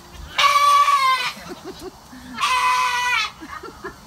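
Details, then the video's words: Goat screaming during a bath: two long, harsh, nasal screams about two seconds apart, each near a second long with rich harmonics, with a woman's quiet speech between them. "Screaming goat getting a bath"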